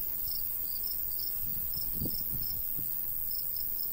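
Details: Crickets in summer countryside by a golden wheat field, chirping in short high pulses repeated several times a second, with a light breeze rumbling low and a few soft thumps midway.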